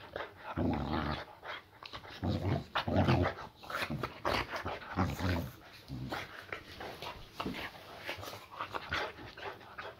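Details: Female boxer Layla greeting her owner after work indoors, nursing a muscle injury; deep harmonic grumbles and growl-moans come in bursts roughly every couple of seconds, fading into quieter rustling and a voice.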